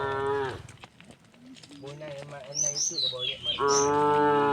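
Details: Herded tame cows on a wooden bridge heading to green fields: a short moo, then low grunting lows and quick bird chirps, ending in a strong sustained moo.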